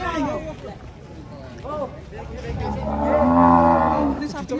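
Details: Agitated cow unloading from a truck in Indonesia, 2024: after scattered short grunts and music, a long rising-then-falling moo swells for about a second and a half near the end.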